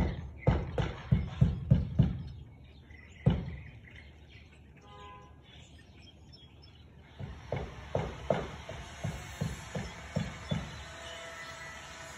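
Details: Siberian Husky, 13 March 2021 at 4:17 pm, barking in quick bursts: a rapid volley, a lone bark, a quiet stretch, then a longer series of softer repeated barks amid faint bird chirps.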